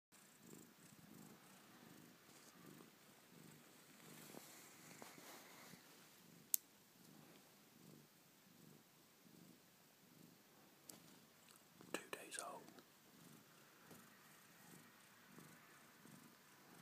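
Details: Soft, steady purring, pulsing about twice a second, from a Maine Coon mother with her three healthy 2-day-old kittens.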